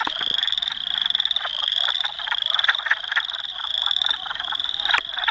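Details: Manitoba wood frog chorus, Dauphin, Canada, April 18, 2008, recorded on a Canon PowerShot S5 IS: hoarse, duck-like clucks tumble over one another while a continuous high-pitched trill hums steadily behind them.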